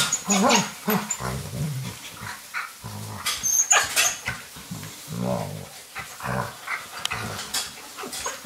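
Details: Indoor rainy-day play between Alaskan Malamute puppies and young male Finn, with mother Deneb raising the litter: throaty grumbling growls in short bursts, mixed with higher whiny notes and rustling.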